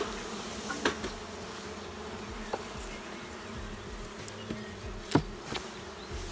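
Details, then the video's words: Honey bees in a queenless, drone-laying hive in France: a steady low colony hum with a band near the lower register, and scattered clicks and brief knocks from handling. "C'est quoi une ruche bourdonneuse ?"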